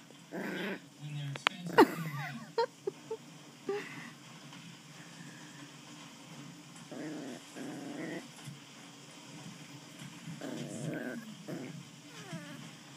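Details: Playful West Highland White Terrier puppy growling during play with a person: short rough growling bursts with a few high yips early on, then repeated low rumbling growls in several separate bouts.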